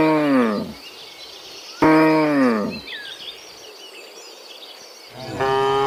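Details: Afternoon return of dozens of cows from the fields to their pen: two short descending moos, a pause filled with bird chirps, then another moo starting at the end.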